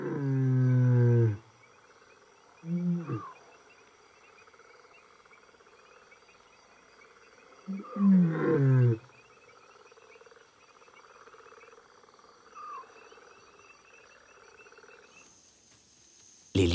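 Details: Wild lioness roaring with all her strength, hoping to hold them back: three loud, deep, harmonic roaring bursts at the start, near three seconds and around eight seconds, separated by long quiet gaps.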